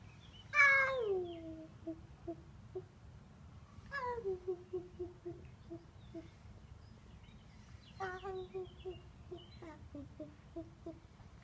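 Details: Devon Rex cat (Felis catus), chirping call.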